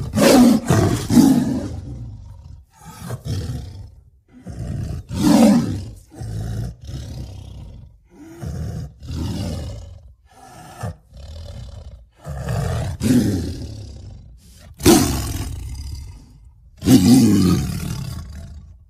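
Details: Long series of rough tiger roars and growling grunts, some deep and drawn-out, others short and clipped, following one another every second or two.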